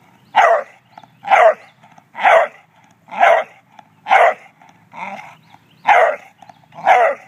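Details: English Bulldog named Charles barks while jealous of a statue: eight hoarse, mid-pitched barks come at an even pace of about one per second, with short quiet gaps between them.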